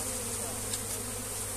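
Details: Many honey bees around a hand-held comb being relocated, making a short, even, low droning buzz with little change.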